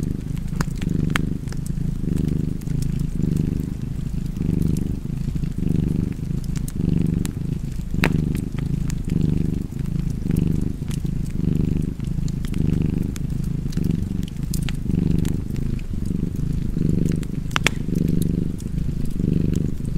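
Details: Domestic cat purring steadily beside a fireplace, a deep low rumble pulsing in even breaths about once a second, with sharp wood-fire crackles and pops scattered over it.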